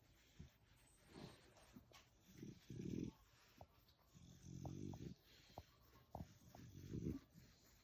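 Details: Sleepy French Bulldog male indoors, making low snorting, grunting snore-like noises in short bursts about every second or two, with a soft muffled rumble between them.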